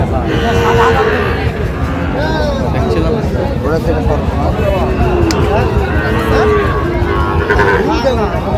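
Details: Sahiwal bull calves at a cattle market in Jamalpur, Bangladesh, several lowing in overlapping drawn-out moos against a dense crowd murmur and background chatter of bargaining buyers and sellers.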